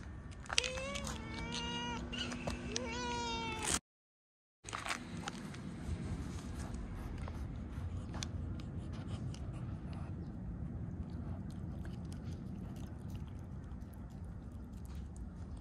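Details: Stray cat named Mii-chan meowing while being given a Churu treat: a run of rising, harmonic meows in the first four seconds, then a brief cut to quiet outdoor ambience with low rumble and faint clicks.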